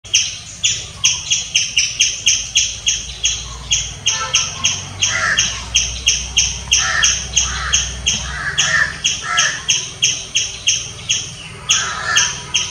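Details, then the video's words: Squirrel chirping loudly: sharp, high, clipped chirps repeated about three times a second in a steady train, with occasional lower, raspy buzzing notes mixed in. "Squirrel chirping sounds. Loud squirrel noise."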